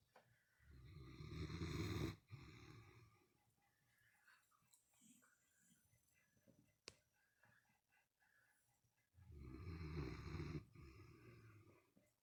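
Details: A 12-year-old female Great Dane, recovering from spleen surgery, snores loudly with a deep, rattling rumble on each roughly two-second breath, several quiet seconds of soft breathing separating two big snores; Great Dane.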